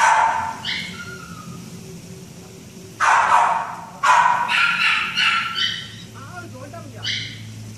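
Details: Great Dane puppy letting out a high yip, then two strong barks and a run of shorter squeaky barks, ending with a last yelp; a faint human voice murmurs near the end.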